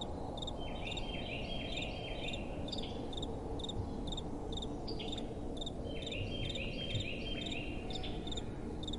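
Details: Several crickets chirping at night, their high pulsed chirps overlapping into a busy, uneven chorus alongside faint thinner trills, set against steady soft wind noise.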